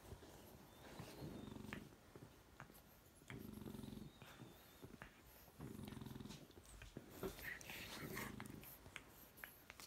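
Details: Chocolate French bulldog puppy and his lilac fawn sister play fight on a couch at home, giving four steady bursts of low throaty growling about every two seconds, separated by quieter breathing and small rustles and clicks of mouthing.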